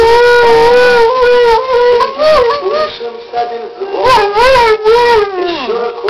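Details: Borzoi singing, a long wavering howl with rich stacked harmonics, sliding up and down in pitch with bent, tremulous notes, a short dip and pause near the middle, then rising again before falling at the end.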